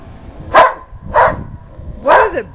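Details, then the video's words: Three loud, sharp barks from a whippet, about three-quarters of a second apart, aimed at the Goodyear blimp passing too close; the usually quiet dog barks only at the blimp, with some rumbling background noise. "our whippet barking at the Good Year blimp"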